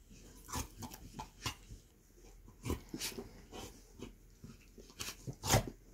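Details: Basset hounds Millie, Percy and Angus in an after-breakfast game of bitey face inside the house; soft whines, huffs and scuffling paws repeat at irregular intervals, ending in a louder yelp-like grumble.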